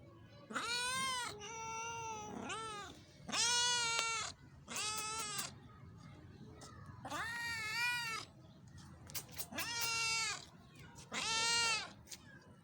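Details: Meowing cats in Pakistan give about eight insistent, bright meows spaced roughly one to two seconds apart, some rising sharply at the start, with a few sharp clicks between calls.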